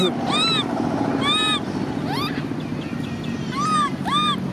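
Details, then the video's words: Cola, a baby macaque, cries near angry sister Lyly: loud, arching squealed cries in short bursts with gaps between them and a steady low hum behind. "Cola baby monkey cries angry sister Lyly"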